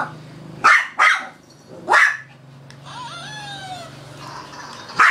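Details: Female Shih Tzu barking nonstop while playing with a toy she is also afraid of: three sharp, loud barks within the first two seconds, a pause filled by high, sliding squeaky tones, then another abrupt bark at the end.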